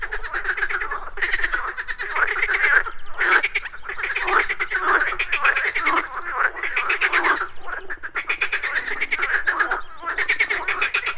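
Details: Frogs croaking at a pond in the morning: a dense chorus of rapid, pulsed, rattling croaks overlapping continuously, with brief lulls around three and eight seconds.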